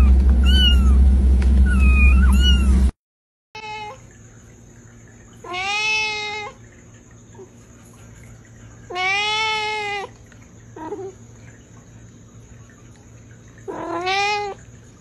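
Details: Domestic cat meows from a funny cat compilation: after a loud, noisy opening with a couple of thin high mews, three long, strong, harmonic meows follow at regular intervals over a faint steady hum.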